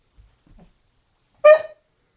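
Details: Great Dane Janet, eager to play with Zoey, lets out a single short, loud yelping bark after a moment of faint rustling.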